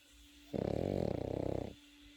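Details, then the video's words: Pekingese puppy asleep, letting out a single rattling snore of just over a second, low and fluttering with rapid pulses, set against a quiet indoor background with a steady faint hum. "패키니즈 코고는 영상"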